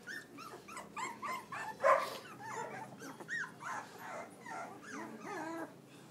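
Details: Newborn pups from a Pitbull cross mother and Belgian Malinois sire, eight in the litter, whine and squeal continuously, overlapping high wavering cries that rise and fall, one louder yelp near two seconds, filmed with an iPhone.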